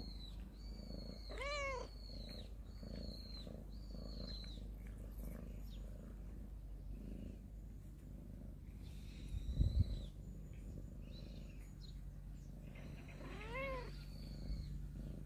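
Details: Storehouse cat family sunning itself in the morning; two wavering meows, one early and one near the end, with repeated high bird whistles in between and a brief thump midway over steady low hum.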